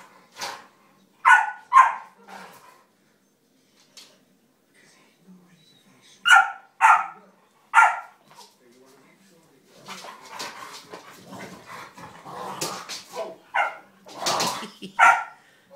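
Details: Two French mastiffs at play indoors, a three-year-old female named Ella with a twelve-week-old puppy named Tyne: sharp, loud barks in pairs near the start and again mid-clip, then a busier stretch of yips and scuffling.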